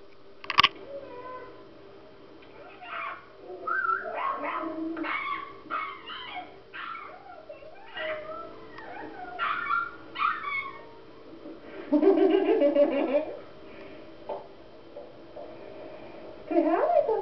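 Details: Female Siberian Husky indoors, excited while watching puppy videos, gives high whimpers, short yips and rising, wavering howl-like whines in irregular bursts, with a louder drawn-out cry near the end of the run.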